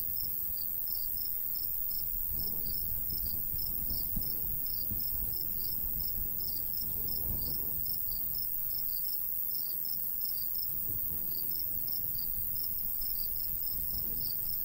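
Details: In a golden wheat field in summertime countryside, crickets keep up quick high chirps, nearly four a second, while gusts of light breeze swell and fade underneath.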